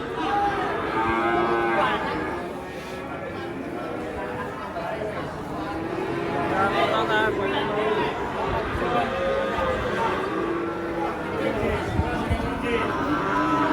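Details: Agitated, raging cattle being unloaded from a truck: overlapping low, drawn-out moos with wavering tones recur through the scene, mixed with crowd chatter, handlers' shouts and background music.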